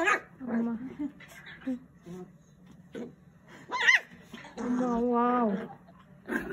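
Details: Puppy Deokseon, a young pet dog indoors during playful zoomies, gives a sharp high rising-falling yip, then a sustained wavering whine, amid other short yelps, with a human voice heard alongside.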